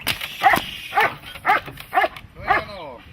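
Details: Dog barking during protection training: five loud, sharp barks spaced about half a second apart, with spoken commands and praise between them.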